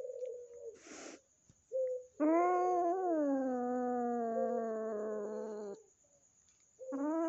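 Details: Household cat and a kitten newly adopted from a friend, still scared of the resident cat, indoors. A short moan and a quick rustle, then a sustained harmonic yowl of roughly three and a half seconds that bends and falls, and another yowl beginning at the end.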